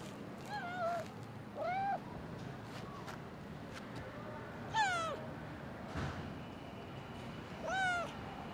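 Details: Stray female cat meowing while hurrying toward the man who raised her; four clear, tonal meows at irregular intervals, each arching up then down, with faint background rumble and light thumps.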